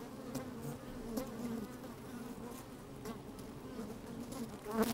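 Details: Honey bees working inside an open hive on a fine, sunny day, microphone slid down among them: a steady low droning hum with layered bands, brief louder buzzes rising now and then, soft clicking ticks from bees moving about.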